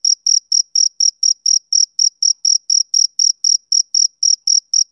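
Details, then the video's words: Male cricket chirping on a summer evening: clean, high pulsed chirps, about four per second, steady and rhythmic, with no other sounds in the background. "Cricket Chirping Sound Effect"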